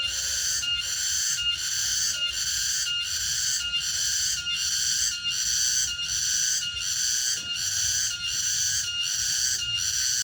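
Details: Cicada (tonggeret) singing in the late afternoon in a remote rural area: a loud, shrill, ringing drone with steady layered tones that swell in regular pulses about every three-quarters of a second, around thirteen beats, with no other clear sounds.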